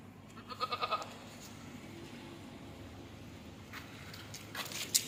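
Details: Goat shown as a Bakra Eid animal, a quick series of four or five pulsed bleats early on, then mostly steady hum with a sharp noise at the close.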